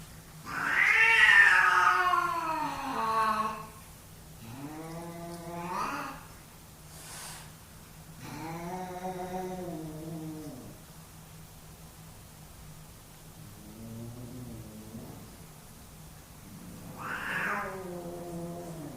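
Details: Male cats in a dominance fight: a loud rising shriek opens, then several drawn-out low yowls bending up and down, a short hiss, quieter moans, and a last rising wail.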